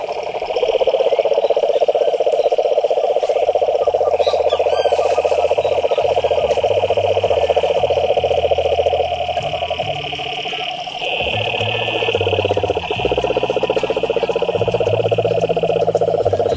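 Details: Frogs croaking in a pond: a dense, rapid pulsing chorus with a steady high trill above. Low droning tones run underneath throughout.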